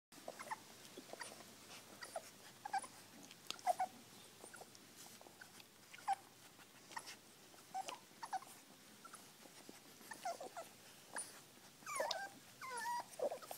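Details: Puppies being fed indoors, giving short high whimpers and squeaks scattered among clicks and smacking sounds of eating, with a louder run of wavering whines near the end.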